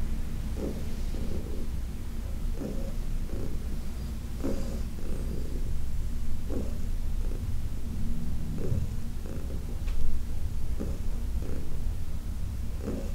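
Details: Heidi, a senior cat from the Humane Society of New York City, purrs under massage. The purr is a deep continuous vibration, pulsing gently with each breath, with a faint brief rustle near the end.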